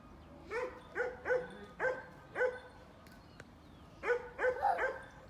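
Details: A pet dog on a grandfather's farm gives high, sharp barks: five evenly spaced barks, a short pause, then four quicker barks in a tight burst, over a quiet background.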